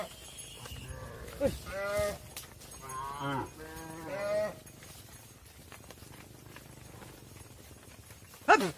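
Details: Cattle on a farm, mother cows entering the barn while their calves stay outside; several harmonic, wavering moos cluster in the first five seconds, then quiet barn background with a sharp knock at the end.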